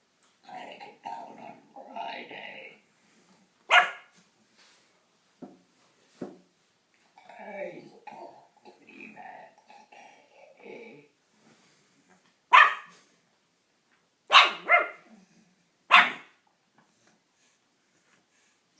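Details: A 3-month-old pug puppy gives sharp, high barks at a person making strange noises, with talking in between.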